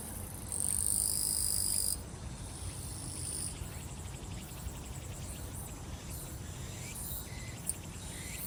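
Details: Summer grass insects at Soyosan, South Korea: a steady, very high-pitched buzzing trill, loud for about a second and a half, then continuing faintly under soft outdoor background hiss.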